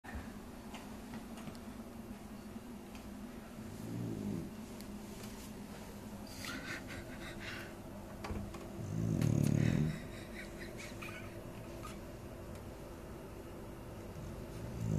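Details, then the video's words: Asleep indoors, a dog snores in low, rumbling breaths that repeat steadily through the room, with a louder snorting surge near the nine-second mark and a quieter one around four seconds. "snoring dog"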